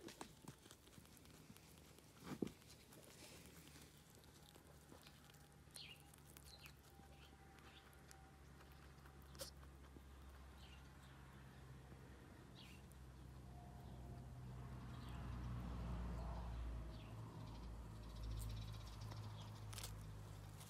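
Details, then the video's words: Small rabbits chewing dried sorrel noisily: rapid irregular crunches and clicks throughout, growing fuller and louder in the second half over a constant low hum, with no human voices. "rabbits eat dried sorrel - relaxing food sounds"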